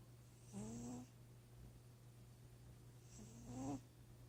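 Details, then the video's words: Sleeping cat snoring: two buzzy, nasal snores about two and a half seconds apart, each with a tone that rises slightly as it goes, over a steady low electrical hum. "Snoring cat"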